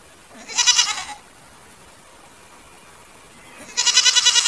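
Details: Goats bleating: a shaky, wavering bleat lasting about half a second, a quiet pause, then a second loud, trembling bleat starts near the end.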